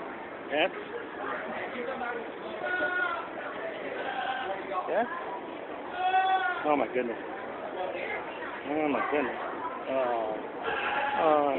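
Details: Goats in the stables at the 2015 Georgetown, Illinois fair: several wavering, nasal bleats rise and fall, one near the middle and another toward the end, over steady chatter and people talking nearby.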